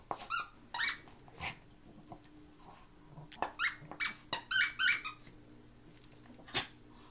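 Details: Pair of Maltese dogs playing, with high squeaky yips and squeals in short bursts, several a second and then scattered, in a small quiet room.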